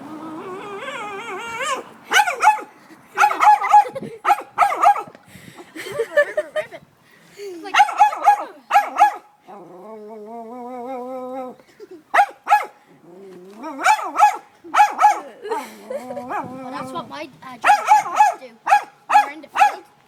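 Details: German Shepherd in crazed advances toward a calm cat, barking in rapid bursts of sharp, harsh barks mixed with whining, with one sustained quavering whine midway before the barking resumes.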